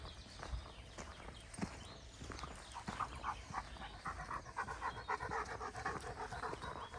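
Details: Greater Swiss Mountain Dog on a morning forest walk, 17 January 2016: steady rhythmic panting, soft at first and then quicker, louder breathy pulses through the second half, over faint outdoor rustling.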